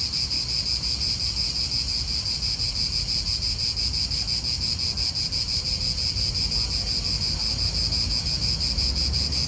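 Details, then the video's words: Cicadas in an Italian park produce a constant high, shimmering buzz with gentle rhythmic pulsing, while wind and distant car sounds rumble low in the background. "italian park ASMR Cicadas wind real atmosphere in an Italian park birds"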